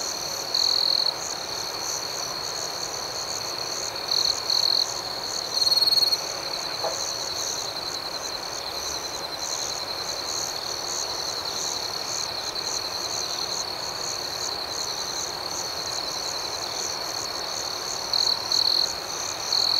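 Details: A nighttime cricket chorus holds one continuous shrill tone. Short, louder chirp bursts stand out several times, early in the recording and again near the end, over the unbroken background trilling.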